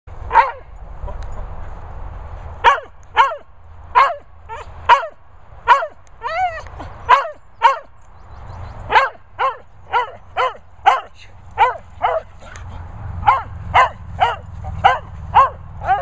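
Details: Dogs at boarding kennels in Worcestershire countryside, a Vizsla, Cocker, Romanian dog and Lurcher mooching about; sharp, bright barks repeated about every half second, over twenty in total with a short pause midway, over low rumbling background noise.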